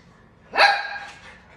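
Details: Toy poodle barking angrily at a caribou shown on TV; a single sharp, high bark with bright harmonics that fades quickly, otherwise quiet.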